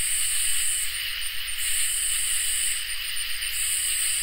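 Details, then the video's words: On a peaceful summer night, crickets and katydids keep up an unbroken shrill drone, topped by very high buzzing phrases that stop and restart roughly every second or two. "Crickets and Katydids in Summer | Ambient Night Chorus"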